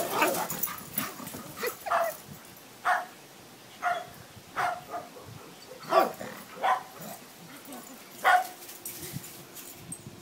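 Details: Two pet dogs playing together, one leaping, give short sharp barks and yips in bursts about every second, some pauses between, with a steady low hum in the background.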